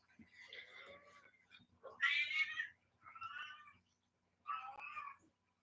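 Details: Domestic cat indoors in a small room, live, with a young female described as still a baby; several drawn-out meows, the loudest in the middle, separated by short pauses, with faint low background hum.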